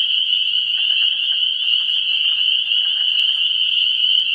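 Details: Early-spring frog chorus at a vernal pool on 17 March 2016, many high-pitched callers blending into a continuous shrill drone that never pauses, with a couple of sharp clicks and soft low background noise.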